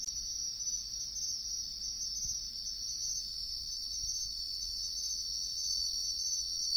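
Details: Wild bell cricket singing in riverside woodland: an even, sustained high metallic trill throughout, with little change in loudness and quiet low-pitched background noise.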